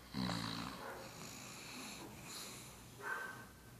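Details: Snoring pug asleep next to its owner: a strong gurgling, snorting inhale opens the clip, then softer wheezy breathing follows, and a shorter whistling snore comes near the end.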